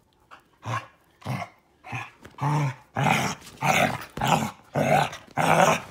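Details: Female Basset Hound in a mock attack on her owner, growling in a steady run of rasping, throaty bursts about every half second that grow louder and longer toward the end.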